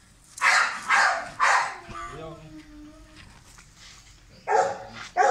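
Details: Leo, a pet Beagle, barks during play: three sharp barks about half a second apart, a quieter stretch with a faint human voice, then two more loud barks at the end.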